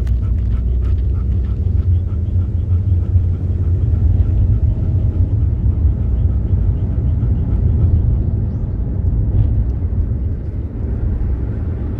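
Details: Heavy low engine rumble of a car on the road fills the recording, with faint rattles above it; no animal voice stands out.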